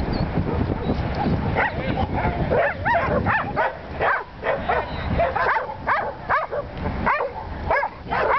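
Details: Willie, a Welsh Corgi herding sheep for the first time in Long Beach, California, gives a run of short, sharp barks in the second half, arriving about once a second over steady low wind rumble.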